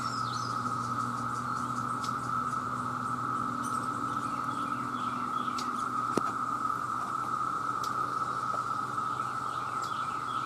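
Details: Countless male cicadas call to attract mates in one relentless, level buzzing drone, while small birds chirp and twitter faintly in the background.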